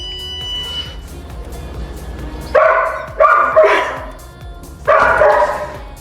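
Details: Domestic dog barking while its owner tests a cheap electronic anti-bark collar on his own neck, each bark triggering a shock; four loud, rough barks in two bursts, over background music.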